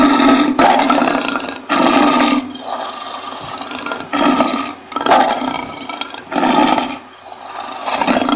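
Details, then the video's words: Lion roaring in a series of six rough, harsh bursts, each about half a second to a second long with short gaps between them, the calls loud and broadband with little deep bass present. "lion Roaring Sound"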